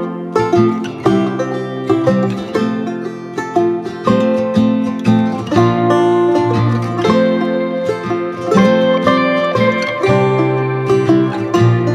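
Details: Lively plucked-string bluegrass music, mandolin or banjo over guitar, played steadily throughout with no animal voices heard.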